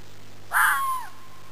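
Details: Single typical call of an Arizona native fox: a sudden hoarse, scratchy bark sliding into a drawn-out descending whine, with a constant low hum behind it.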